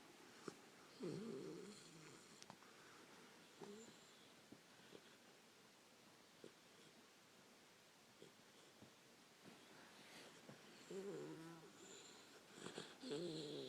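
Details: Harlequin Great Dane puppy asleep, snoring and talking in her sleep: soft low snorts and breathy rumbles recur irregularly, with a few brief whiny vocal bursts near the start and end, in a quiet indoor room.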